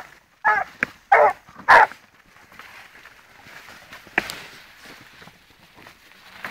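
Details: Blue griffon Gora, a 14-month-old female, working a wild boar trail. Three loud, hoarse barks about half a second apart open the recording, followed by rustling footsteps and a faint later bark.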